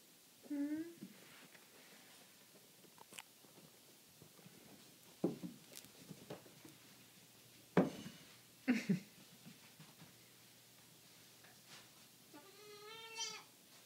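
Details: Indoor bleats from Flower and Mabel, two 3-day-old goat kids rescued from a hoarder and now kept as pets; a short quavering bleat near the start and a longer wavering one at the end, with a woman's talk and soft knocks between.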